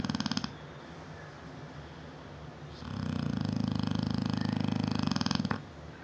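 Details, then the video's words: Bella, a seven-year-old female Neapolitan Mastiff, snores in her sleep indoors; a short snore ends, a quiet pause follows, then a long, deep rattling snore of nearly three seconds. "NEAPOLITAN MASTIFF SNORING"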